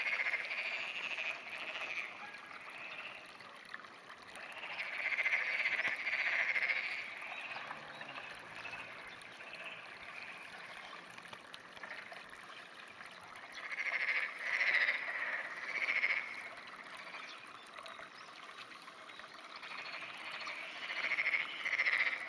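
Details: Black-spotted pond frog at an irrigation canal on a clear June morning, 2009; bouts of rapid, pulsed, rattling croaks come in bursts of about two seconds, separated by quieter stretches of softer background calling.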